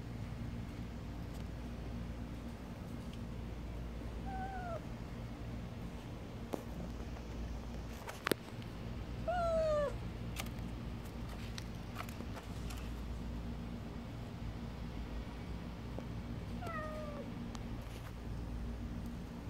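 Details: Kkamangi, a stray cat in good health despite the summer heat, meows three times, each short and slightly falling, spaced several seconds apart, against a constant low hum with a few clicks and knocks.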